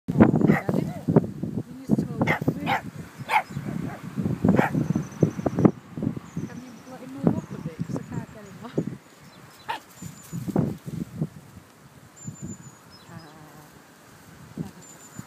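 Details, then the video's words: A pug puppy, out on a walk, barks at sheep it comes across: a burst of sharp, rapid barks that tail off into scattered yaps. "Stanley the pug barks at sheep!"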